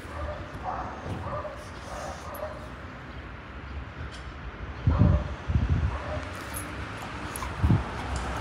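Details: Puppies giving a run of short, high, whimpering yips spaced about half a second apart early on, then quieter, followed by low thumps and bumps of handling noise.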